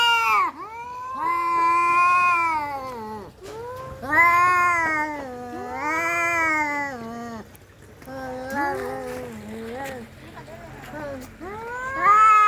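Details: Domestic cats fighting: a series of rising and falling caterwauls with overlapping voices, loud howls alternating with quieter wavering moans and short broken cries near the end.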